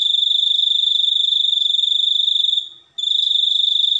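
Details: High, rapidly pulsing cricket chirping, a sound said to be good for sleep, bird tutoring or chasing rats away, running for two and a half seconds, fading briefly, then resuming sharply.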